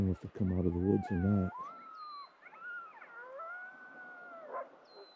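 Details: Wild gray wolves howling again on a cold Yellowstone–Teton morning at sunrise, possibly from the woods: a man speaks briefly, then long smooth howls rise and fall, several voices overlapping, with a faint high bird chirp.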